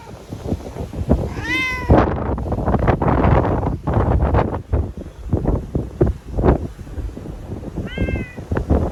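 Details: Timid TNR ear-tipped cat sheltered indoors in Okinawa as Typhoon No. 10 approached, September 2020, crying after capture; a loud falling meow, then a shorter one near the end, amid thumping, rustling and storm noise.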